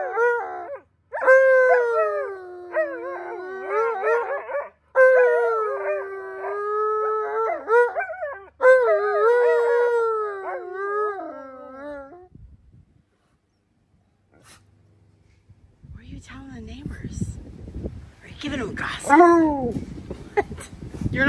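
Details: Pet Alaskan Malamutes Tonka and Monroe complain about their pool's dirty green water with repeated long howls that warble and bend in pitch, separated by brief gaps, then fading to quiet rustling and a final rising whine.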